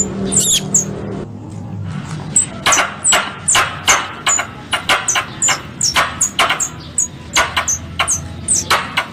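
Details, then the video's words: Squirrel call mix used as a hunting lure in Indonesia: bursts of short, very high falling chirps mixed with sharp broadband clicks, coming in an uneven stream after a brief low hum at the start. "Suara Tupai 3 In One Terbaru Sebagai Penyempurna Suara Pancingan Tupai"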